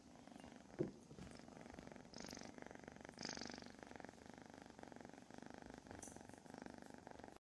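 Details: Kittens purring while being petted in a lap during a morning session in a foster kitten room, with small dogs present; a continuous low pulsing purr runs the whole time, with a couple of soft hisses of rustling fabric.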